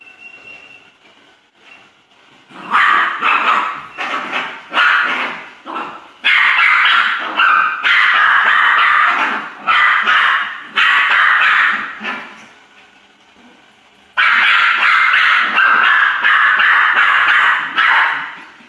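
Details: Poodle barking in rapid, loud bursts, several barks run together in clusters with short pauses, a quieter stretch in the middle before a final burst of barking.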